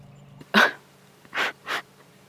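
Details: Young wild hyena calling: one loud, harsh, noisy burst followed by two shorter breathy bursts about a quarter-second apart, with a low steady hum beneath and a person commenting afterwards.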